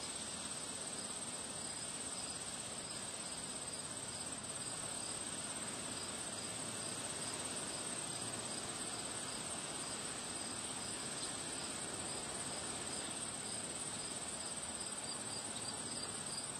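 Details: Crickets keep up a steady, high-pitched shrill trill against a constant rush of wind among flowers on a windy day.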